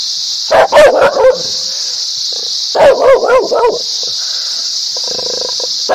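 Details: A barking dog, said to sound happy, aggressive and angry, gives two clusters of about four loud rapid barks, followed by a faint tonal whine, over constant high-pitched hiss.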